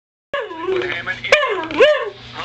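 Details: Andy, a whippet, demands something he wants right now: a loud whining, yodel-like vocalisation with wavering, rising and falling tones over about two seconds, ending in a sharp upward swoop, indoors.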